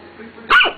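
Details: A single sharp bark from a dog at her own reflection in a mirror, not realising it is herself; faint background noise before the bark.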